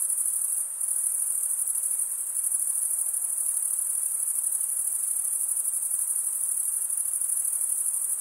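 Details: Male crickets stridulating with their wings produce a continuous shrill, ringing chorus, very high and even in pitch, with one brief dip in loudness near the start and otherwise constant intensity.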